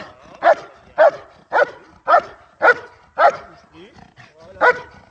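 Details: German Shepherd in IGP competition training, giving loud sharp barks at a steady pace, about two per second, eight barks in all, with a short pause near the end.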